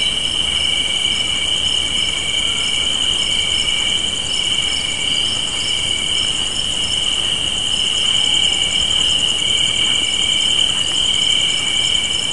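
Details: Crickets chirping on a spring evening porch with a gentle breeze: a dense, unbroken high trilling chorus layered at several pitches that holds steady from start to finish, with no other clear sounds.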